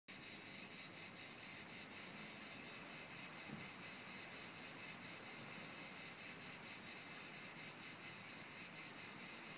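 Cicadas fill the air with a continuous, high, shimmering buzz that pulses faintly but never stops.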